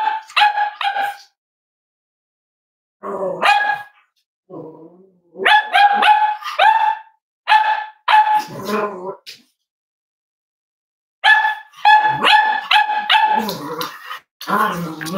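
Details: Cavalier King Charles Spaniel puppies at a home raising emotional support dogs, warm Friday morning: bursts of rapid, high yappy barks in clusters of three or four, broken by silent gaps and a few lower, rougher grumbling sounds.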